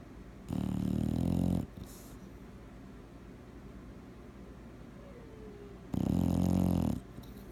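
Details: Bulldog asleep indoors, snoring in two deep, rough, buzzing bursts each lasting about a second, separated by five seconds of quiet low breathing.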